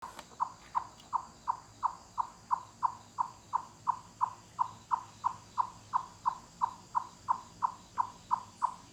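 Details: Wild chipmunk in a forest giving loud cluck calls, like knocking on wood, that carry through forests and mountains with full-body effort: a steady train of short hollow clucks, about three per second, for nine seconds.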